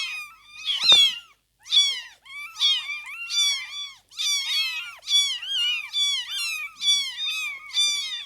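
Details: Tiny kittens in their first two weeks of life, as they open their eyes and begin walking, mew in quick regular bursts, about one cry a second, high-pitched and arching.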